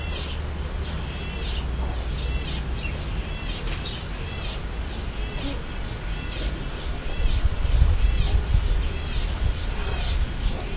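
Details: A chorus of cicadas sings in the sun in late summer in March, with high, hissy buzzing pulses about twice a second that repeat and overlap. A steady low rumble, like wind or distant traffic, runs underneath.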